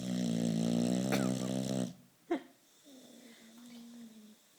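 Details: Napping Boxer named Turbo snoring indoors in a curious position: a long, loud, rattling, harmonic snore of nearly two seconds, then a brief sharp click and a softer steady tone.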